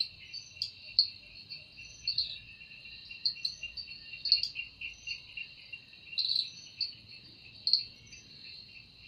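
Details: Wing-made song of a cicada in an evening forest. A high, even drone throbs with regular louder accents about every second, layered over a lower, rapidly pulsing trill.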